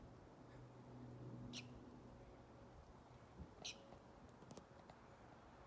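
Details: Squirrel giving a few short, sharp, high-pitched squeaky chirps at about 1.5, 3.7 and 4.5 seconds, over a low steady hum and faint murmuring in the background.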